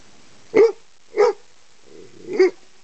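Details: Copper, a Chesapeake Bay Retriever, barks at a large black snake; three short, deep barks about half a second apart, the last one preceded by a low rumbling growl.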